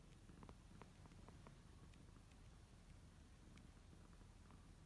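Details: Low, continuous purring from kittens resting in their favourite beds while kneading, with scattered light ticking and scratching sounds over the rumble in a quiet room.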